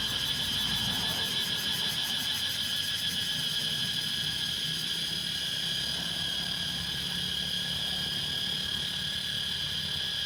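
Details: In Laos, cicadas drone in a steady, shrill, high-pitched buzz that never lets up.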